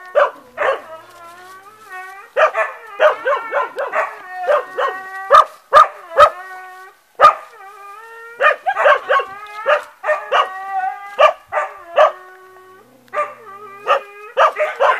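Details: Pair of dogs at play, trading squeaky, whining yelps in irregular clusters of several calls, quieter gaps between bursts, and a few sharp clicking knocks near the middle.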